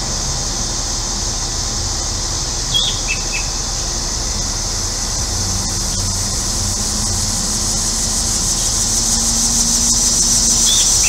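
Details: Cicadas on a hot day in central Illinois form a continuous high, hissing drone. A few short bird chirps break in near three and ten seconds, over a low hum from a neighbor's air conditioner.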